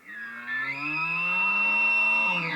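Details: An elk bugle: a low, cow-like roar produced by vocal fold vibration, with a high, piercing whistle on top, thought to be an aerodynamic whistle produced in the nostrils.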